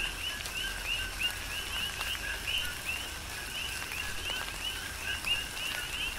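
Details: Rhythmic chorus of coqui frogs in a tropical rain shower, Big Island, Hawaii: rapid rising chirps from several frogs overlap nonstop, with softer rain noise and occasional drips beneath.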